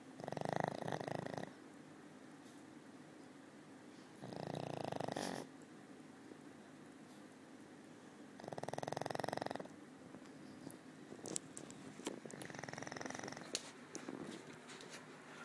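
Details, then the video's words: Snores from a sleeping old female pug: three strong, rough, vibrating breaths roughly four seconds apart, then a weaker fourth, each a throaty buzz with quiet pauses between. "Old Pug Snoring"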